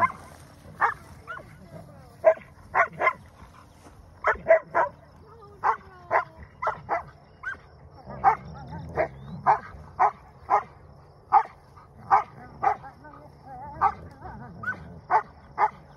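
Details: Two wolfdog puppies give short, snappy yips and growling snarls, about twice a second, while squabbling over a possession to settle dominance.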